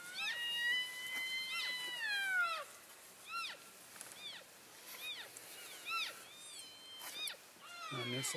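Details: Elk herd on the move between grazing areas, calling to stay in touch, February 3, 2012. Long whistled squeal sliding downward, then a series of short, sharply falling chirping calls about once a second, with a voice at the end.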